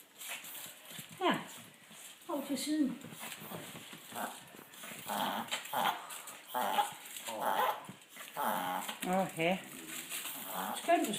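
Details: An excited Yorkshire Terrier gives high, eager whines and yips as meatballs are brought to her, with people talking nearby.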